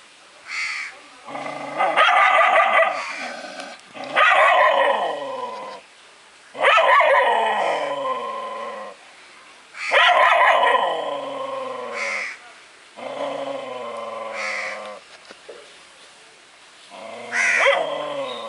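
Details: A dog barks at itself in six long, wavering, howl-like barks, each lasting one to two seconds, separated by short pauses.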